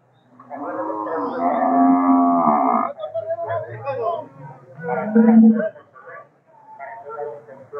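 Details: Cattle, steers and oxen offered as yoke teams at a livestock market in Nueva Guadalupe: a long, rich harmonic moo lasting over two seconds, then a shorter, lower bellow near the fifth second, with men chatting in Spanish around them.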